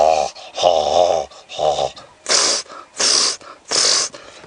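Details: At sunrise on a May morning in a South African game reserve, impala in the background give three deep, raspy, guttural grunts, then three harsh breathy snorts under a second apart, amid quiet bush.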